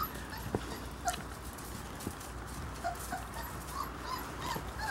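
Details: Nola's one-month-old puppies give soft, high whimpers and short yips, scattered thinly over a few seconds and faint against low rustling and background noise.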